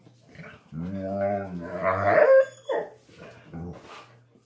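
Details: Two puppies greet an older dog in their usual ritual with a drawn-out, wavering whine-howl rising into a higher squeal, then shorter whimpers, with a person's voice nearby.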